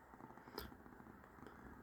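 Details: Pet cat Persyk indoors in the heat, giving a quiet sustained rumbling purr interrupted by one sharp tap just over half a second in, then resuming its level low vibration.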